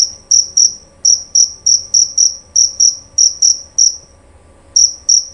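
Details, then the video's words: Jerabang cricket giving clear, shrill chirps, some single and some in quick pairs, at an uneven pace, with a silent gap of nearly a second before two final chirps. "Bunyi Suara Jangkrik Jerabang Nyaring dan Jernih"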